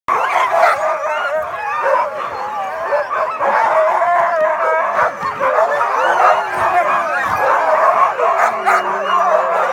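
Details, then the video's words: Many Siberian Huskies at a husky safari in Inari, calling together in a dense chorus of overlapping wavering howls, yips and whines, continuous without pauses. "Husky Symphony"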